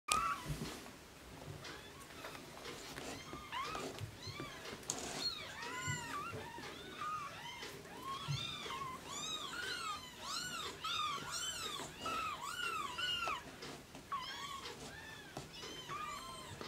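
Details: Blue Oriental Shorthair kittens mewing in high, thin, arching cries that overlap in a busy chorus; finding: Oriental Shorthair cat.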